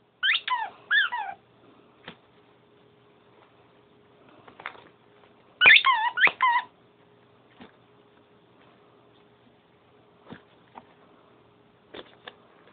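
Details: Playful dog Sugar at bedtime: a cluster of three wavering squeaky whines opens, then quiet with faint taps, another burst of three high whimpers midway, and scattered clicks afterward.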